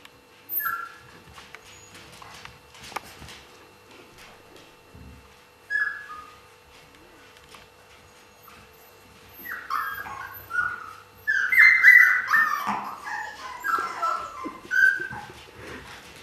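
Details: Siberian Husky puppies in 2015, mostly quiet with a few isolated short whines early on, then a busy cluster of overlapping high squeaky yelps and whimpers toward the end.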